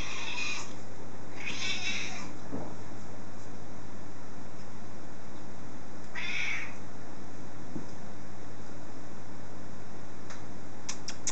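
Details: A hungry British Blue cat meowing for its supper: three short meows over about eleven seconds, spaced a few seconds apart, with a steady low hum and faint clicks behind.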